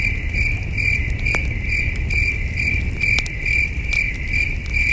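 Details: Night chorus of crickets beside a campfire under the stars, rhythmic pulsed chirps recurring roughly twice per second, over a low rumbling background with sharp crackles from the fire.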